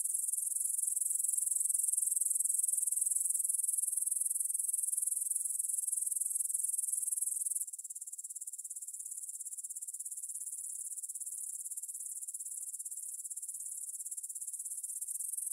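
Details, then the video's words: Grasshoppers stridulating in a meadow near the Svensky monastery field, Bryansk, Russia, at 9pm on 6 September 2020, taken on a Tascam DR-44WL in stereo: a shrill, high, pulsing chirr at about three and a half beats per second, dropping to a softer level halfway through. "Grasshopper Sounds in the Field"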